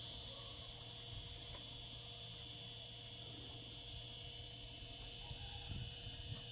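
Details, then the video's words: Summer cicadas produce a sustained, high, hissing whine, steady throughout, with faint scattered low knocks in the background. "Cicada sounds, cicadas singing in summer."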